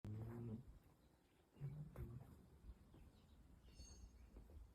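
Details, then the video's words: Sleeping dogs snoring loudly, possibly dreaming: two low, rumbling, throaty snores about a second and a half apart, followed by softer breathing and faint background noise. "Why do my dogs snore so loud?"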